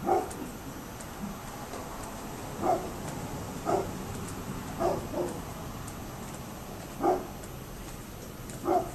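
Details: Neighbour's dog barking, recorded 27 October 2011: single short barks at irregular intervals of about one to four seconds, seven in all, distant-sounding against a steady background hum.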